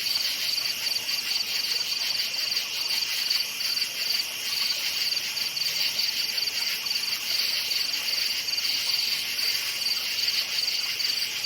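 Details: Night chorus of forest crickets, their shrill chirps pulsing quickly and evenly throughout, layered above a constant high buzzing wash of further insects.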